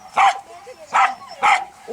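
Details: Croatian Sheepdog Berda, 2.5 years old, barking while her innate traits are tested; three loud, short, evenly spaced barks roughly every 0.6 seconds against a quiet background.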